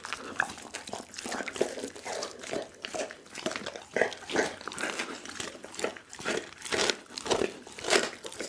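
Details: A whole raw chicken being eaten by pit bull Daggy indoors, recorded on an Insta360 ONE R. Rhythmic crunching and crinkly tearing bites swell and fade in pulses about every second.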